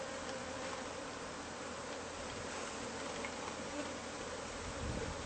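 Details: Bees from a hive hidden inside the walls of a house, disturbed during removal; a dense, steady swarm hum fills the whole clip, with a faint band near the low-middle range and no other clear sounds.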